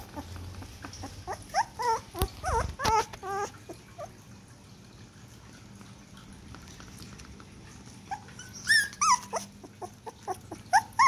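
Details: Poodle puppy four weeks old, just starting on solid food, whining in clusters of short descending yelps and whimpers, quiet for several seconds in the middle, then another burst of high squeaky cries, indoors.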